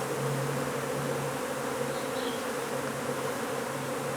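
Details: Honey bee colony humming during removal of its hive from under a wood pile in McAllen, Texas: an unbroken, even, low buzz with steady overtones and a hissy background, nothing else standing out.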